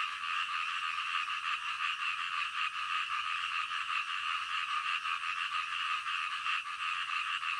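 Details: Night-time frog chorus: many croaking voices overlap in a thick, continuous rasp, with quick irregular pulses running through the whole stretch.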